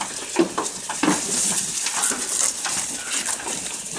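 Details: Goat feeding at close range: brief rustling crunches and moist chewing clicks repeating irregularly, with a faint low grunt near the start.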